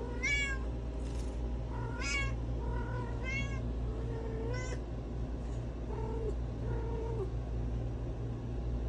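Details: Domestic cat in heat calling for a mate, held by the tail base to calm it: a run of loud harmonic meows, some rising then falling, several in quick succession, then softer drawn-out cries, with low steady hum beneath.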